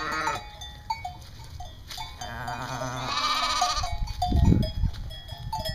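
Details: East Friesian dairy sheep at a North Carolina farm giving a long, quavering bleat in the middle, followed by a low rumbling thump, all over steady background music.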